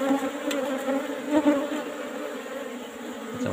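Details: Apis cerana bees swarming an old-style box as honeycomb is taken; a strong, layered drone with a steady pitch that swells slightly midway.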